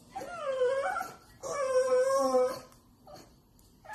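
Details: French bulldog begging for Chinese food indoors, giving two long wavering whines, the first rising slightly, the second held steady for about a second, followed by short soft whimpers.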